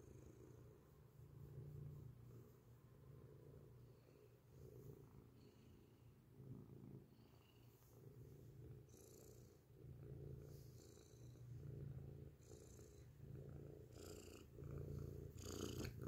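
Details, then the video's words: Close-up loud purring from a grey domestic cat, a continuous low throbbing rumble rising and falling with each breath, with faint brushing or rustling noises in the background. "beautiful grey cat purrs loudly up close"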